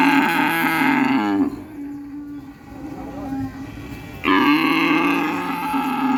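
A cow gives two long, steady moos, low and droning, separated by a brief quiet pause.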